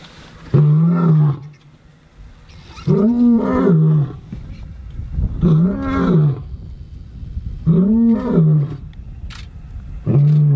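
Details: Lion bellowing in a rivalry as two young males challenge two older pride males near the Chobe River: deep, moaning roars rising then falling, about every two and a half seconds, with quiet gaps between.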